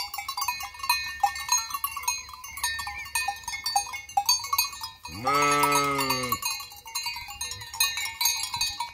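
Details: A sheep in a bleating flock near the empty Hotel Fürigen gives a single long, wavering bleat amid the clanking of many cowbells.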